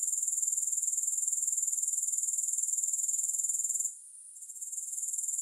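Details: Grasshoppers trilling in a high, thin pulsed buzz, about four pulses a second, steady and even for nearly four seconds before the sound briefly drops away and then returns more softly; no music or other sounds.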